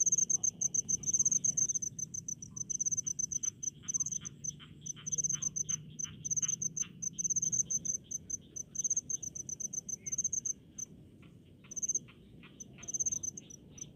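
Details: Rice-field cricket chorus in the countryside: high, piercing pulsed chirps in bursty runs with gaps, plus a lower row of softer repeated ticks from other insects and a faint low background murmur.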